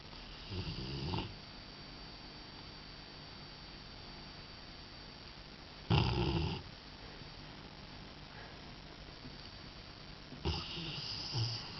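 A sleeping Rottweiler gives low, rattling snores, each a rough, breathy rumble lasting under a second. Between the snores there is a quiet pause of several seconds, with only faint room hiss.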